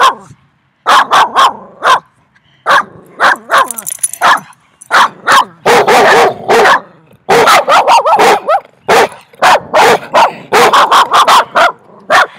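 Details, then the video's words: Loud barking from three dogs, dense overlapping bursts of sharp barks with brief pauses, near-continuous volleys through the second half. "THREE DOGS BARKED VERY LOUD TO ME"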